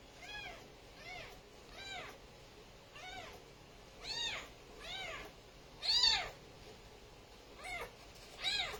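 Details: Repeated high-pitched kitten mews, about eleven short arched calls following one another closely, some louder and sharper than others, with a quiet hiss underneath.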